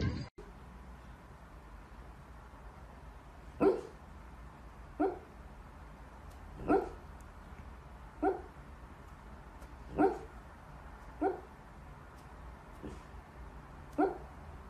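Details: Corgi Husky mix dog barking: eight short sharp barks spaced a second or two apart, each a quick rising yap, over a quiet steady background hum.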